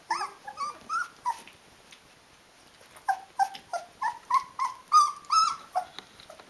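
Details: Litter of 16-day-old Rhodesian Ridgeback puppies calling for their mother to nurse, producing thin, tonal whines and squeaks, some rising, in rapid irregular runs with a short pause midway.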